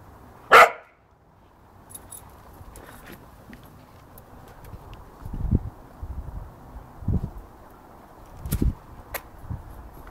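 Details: Working cocker spaniel, also called field spaniel, playing in a garden; one sharp, loud bark near the start, followed by soft low thuds and rustling as it plays, with a few faint clicks.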